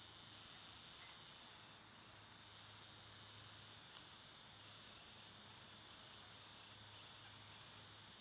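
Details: Cicadas in summer, loud this time of year: a steady, unbroken high-pitched hiss holds throughout, with a faint low hum underneath.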